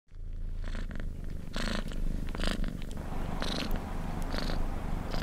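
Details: Domestic cat purring while a kitten cuddles an adult male cat: steady low purr throughout, with brief broadband rustles and thumps recurring every second or so.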